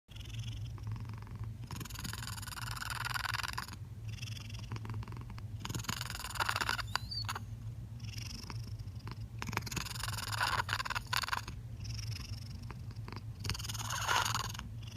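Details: A male ginger domestic cat purrs steadily with his mouth open, opening and closing it to shift the pitch: a low rumble with breathy, snore-like rasps on each breath. Owner suspects vocal cord damage from kittenhood.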